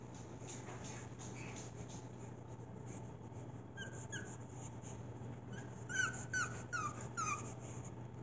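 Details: Six-week-old pug puppy at its breeder's home in New Brunswick, Canada, with its parents and littermates nearby; faint, short, high whimpers slide downward, clustered near the end over a steady low indoor hum.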